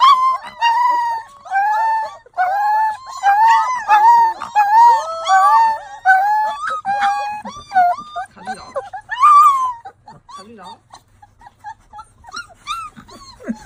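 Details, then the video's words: Several puppies crying together: overlapping high, wavering whines and yelps that rise and fall in dense bursts for about nine seconds, then thinning to sparse, softer whimpers and faint clicks. "sonidos de cachorros // sons de chiot // puppy sounds"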